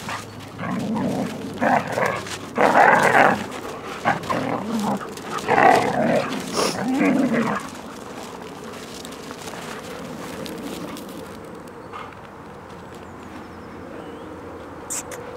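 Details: Siberian Huskies in Finland during winter 2014: several bursts of loud, harmonic barking and yelping fill the first seven seconds, then the dogs fall quiet, leaving a soft outdoor hush.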